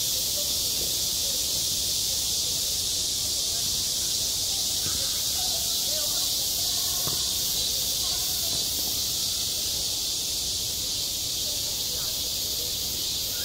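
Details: Summer cicadas at a school playground keep up a steady, intense high buzzing drone with no pauses. Faint clicks and soft distant murmurs sit below it.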